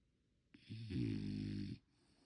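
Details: A sleeping French Bulldog puppy named Mocchi snoring indoors, unedited: one drawn-out rumbling snore lasting about a second, low and throaty with a raspy upper edge, in an otherwise quiet room.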